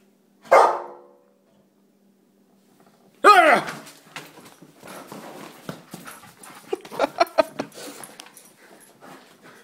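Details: Rottweiler and German Shepherd mix barking indoors: two loud, sharp barks about three seconds apart, followed by a stretch of softer, scattered yips and rustling in a small room.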